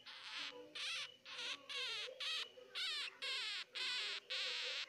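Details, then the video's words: Baby hamster crying: a run of harsh, buzzy, high squeaking bursts with wavering, rippled tones, each about half a second long, repeated in a steady series with short silent gaps between. "jangan di dengar suara hamster"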